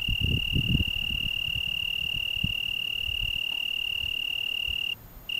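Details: One continuous high trill from an Italian tree cricket on a June 2010 evening in the Algarve, Portugal, steady for about five seconds before a short pause and restart, with low rumbling bumps in the first second.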